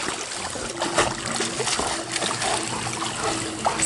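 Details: Steady splashing and trickling of pool water at a dog boarding home in Granada Hills, California, with no animal calls heard.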